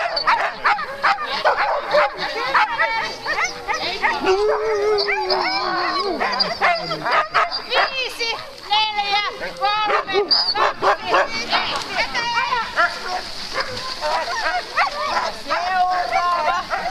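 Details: Alaskan malamute teams at a sled race start line, Metsäkartano Sprint, 4 March 2012; a steady din of many dogs barking, yelping and howling together, with human voices mixed in.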